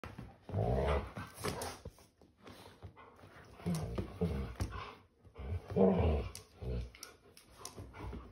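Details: A Labrador Retriever and an English show cocker spaniel playing games together on a sofa at home. Low, rumbling playful growls come in uneven bursts, mixed with rustling and sharp clicks of movement indoors.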